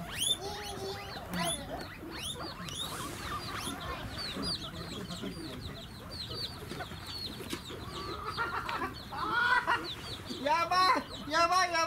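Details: Guinea pigs at Ostrich Kingdom Sodegaura Farm in Chiba, Japan, squeal in high, rising wheeks, a chorus of calls asking for food, with people talking nearby, on 10 December 2018.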